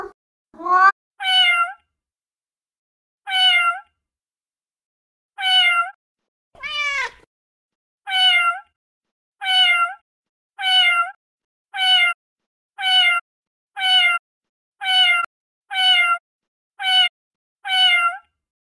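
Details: Female cat uttering a long series of about sixteen short meows, irregular at first, then repeated roughly once a second, each brief and bright, with no other sounds.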